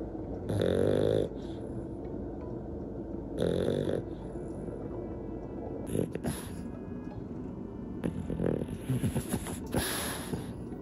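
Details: Snores from two old French Bulldog sisters, aged 12, dozing on a rest day at home: two long throaty snores early on, then scattered softer snorts and rustling clicks over a faint tonal background.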